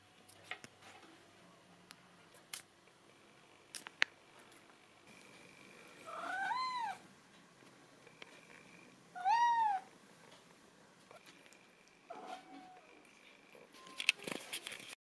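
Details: Neva Masquerade cat indoors begging for treats and food. It gives two drawn-out, arched meows about three seconds apart. The room is otherwise quiet, with scattered clicks and knocks.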